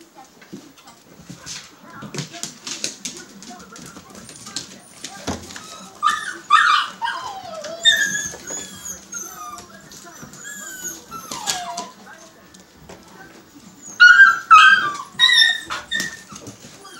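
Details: Newborn Siberian husky puppies from a litter born March 25, 2017 to the female Liv, giving high, thin squeaks and rising-falling whimpers in scattered bursts, with a faint human voice and handling noises behind.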